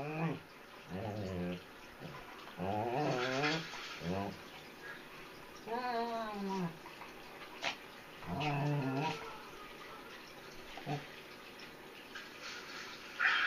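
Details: A 3 lb Chihuahua puppy will not leave a sleeping German Shepherd alone inside a small room; drawn-out, rising and falling moaning growls sound in several separate bouts, with brief clicks and household noise between.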